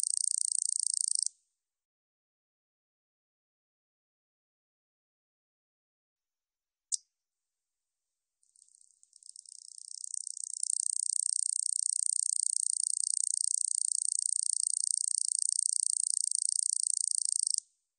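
A katydid gives a high, dry, buzzing rattle, first in a short burst, then in a long sustained run.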